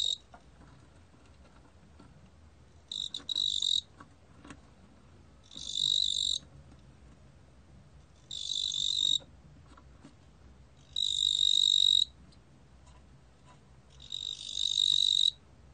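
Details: Five short shrill chirring bursts from a 뚱보귀뚜라미 cricket, each about a second long and spaced two to three seconds apart, recorded in 2020 by Korea's National Institute of Biological Resources.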